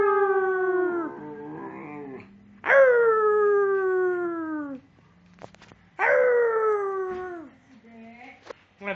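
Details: Domestic dogs howling together in a small room, long falling howls with strong harmonics lasting about two seconds each, overlapping voices, brief yips and some speech faintly in the background.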